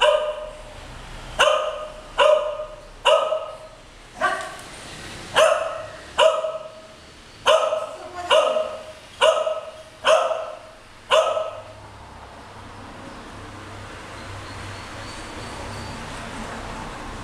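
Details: Two English Cocker Spaniels, aged almost 13 years and almost 9 months, romping on a bed indoors; a quick run of about eleven sharp barks in eleven seconds, followed by quiet background hiss.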